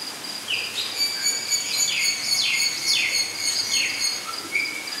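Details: Cotton-top tamarins at a zoo give high, thin descending whistles in quick succession over a steady high hum.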